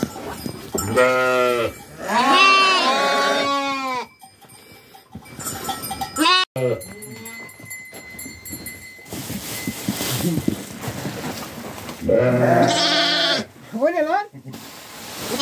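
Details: Sheep in a farm flock during daily care: long, wavering, harmonic bleats in three bursts of one to two seconds, separated by quieter stretches with a steady tone and rustling, handling noise.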